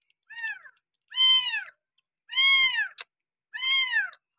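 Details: Abandoned village kitten being hand-reared with a milk bottle utters four clear, drawn-out meows, each sloping downward with strong harmonics, separated by short silences, and one brief click.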